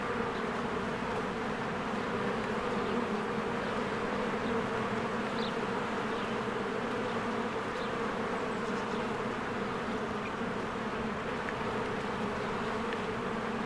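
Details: Many honeybees flying around their hive in springtime produce a steady, thick humming buzz without breaks; faint short high-pitched bird chirps appear now and then above the drone.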